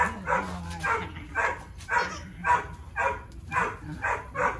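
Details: A three-year-old Boxer named Tyrion during basic engagement training gives a steady run of short, punchy barks, nearly evenly spaced at about two per second, with a faint low rumble beneath.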